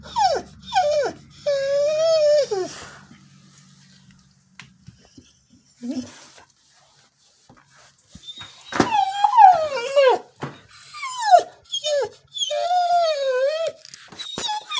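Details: Female Border Collie singing with an unknown prompt: whiny, arching howls and quick, falling yelps in irregular bursts, with a faint low hum early on and quiet gaps between phrases.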